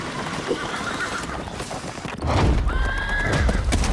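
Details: Wild mustang in eastern California giving a drawn-out whinny that wavers then steadies near the end, following a fainter earlier neigh, over rumbling hoofbeats and wind.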